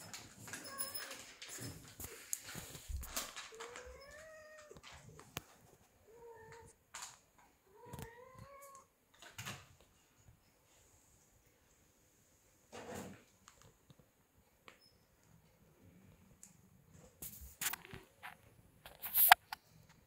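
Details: Ragdoll kittens playing indoors: several short rising-then-falling meows around four to nine seconds, among thumps and rustling, then quieter scuffling noises.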